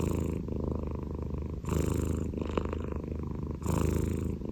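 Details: A Scottish Fold cat's snore, a thick low vibrating rumble, brief rougher breath pulses near the start and end of the short stretch.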